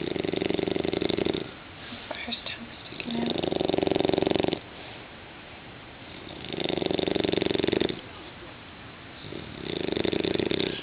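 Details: A 6-month-old English Bulldog puppy snores in long, rasping breaths with a steady rhythm.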